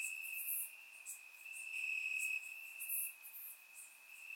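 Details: Crickets chirping in grass on a warm summer night in Bulgaria, recorded with a surround microphone: a steady high trill continuing throughout, with louder, brighter stretches and scattered sharp higher pulses from other insects over it.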